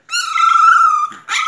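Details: Four-week-old singleton puppy complaining indoors: one long, steady, high whine lasting about a second, followed by a brief second whimper.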